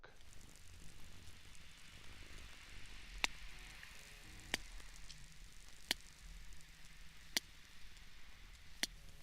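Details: Sperm whale echolocation recorded by boat hydrophone, audible up to 4–5 nautical miles away, as the whale navigates through darkness: sharp, broadband clicks spaced about one and a half seconds apart over low hiss.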